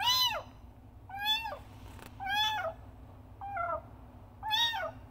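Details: Kitten Frangky meows loudly to summon its mother, giving five strong arched cries in five seconds, each rising sharply then sliding down, one brief click between them, against a quiet indoor hum.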